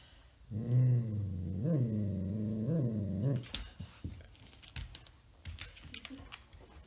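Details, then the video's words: Indoors, Gracie the dog tries without success to get Pete the cat out of her bed. She gives a drawn-out, low, moaning growl lasting about three seconds that swells roughly once a second, then quiet rustling and small clicks. "Dog tries to reclaim her bed from the cat"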